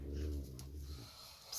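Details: Male Nubian goat snoring while asleep in a stable: a deep, rumbling low snore lasting about one second, then fading into quiet breathing, with faint background hiss and a brief click.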